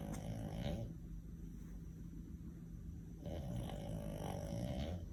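A French Bulldog snores in deep, rumbling breaths with a rattling, low-pitched texture.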